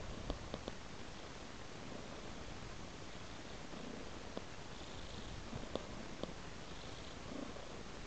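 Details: Cat purring while following a trail of raw meat, a low even rumble throughout with scattered soft clicks and small taps.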